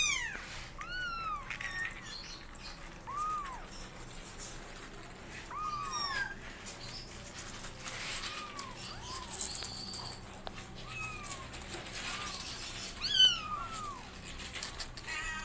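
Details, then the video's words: Mother cat with kittens being taught to walk; thin rising-and-falling kitten mews spaced a few seconds apart, softer and sparser, with rustling and faint background noise between calls. "Mom Cat Teaching Her Kittens How To Walk And They're Meowing Loudly"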